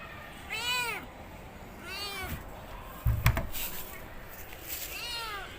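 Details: Domestic cat giving three clear, arched meows about two seconds apart, with a sharp knock or thump in the middle.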